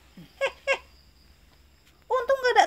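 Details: Pet cat, one of the pair Mami Sapi and Janu, at night while being bathed before bedtime; two brief clicks, then a short wavering, nasal meow that rises and falls in a quiet indoor room.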